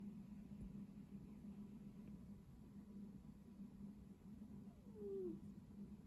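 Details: Domestic cat snoring: a low, steady rumbling hum that swells and fades in slow breathing cycles, broken near the end by one short, falling squeak.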